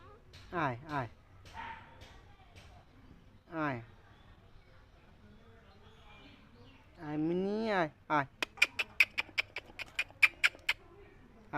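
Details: Cats and kittens meowing in a funny compilation: a few short meows, then a long drawn-out wavering meow, followed by a rapid series of sharp clicks or taps.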